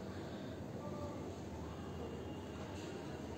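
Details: A steady, low, broadband rumble like a train or rail car in motion continues without a break.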